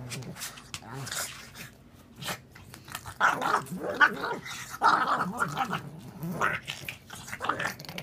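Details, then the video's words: Pug making goofy sounds: rough snorting grunts and low growls in uneven bursts, loudest in the middle of the clip, with a person's voice nearby. "Crazy Pug, goofy sounds"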